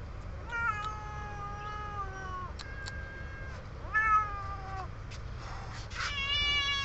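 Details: Several cute kittens at feeding time, meowing repeatedly: drawn-out, slightly falling mewing cries overlapping one another, a louder rising mew near the middle and a high squeaky mew at the end, over steady low background rumble.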